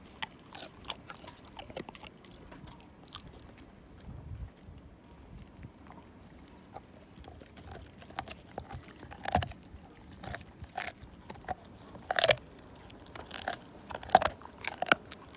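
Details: Siberian Husky named Slim gnawing a bone down to nothing: scattered sharp crunches and clicks of teeth on bone, sparse at first and thickening toward the end over a quiet background.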